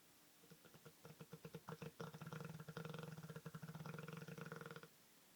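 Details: Bruno, an Olde English Bulldog, snores like a man: a steady, rapid, throaty rattle of low pulses lasting over four seconds, rising in strength toward the middle, in a quiet indoor room.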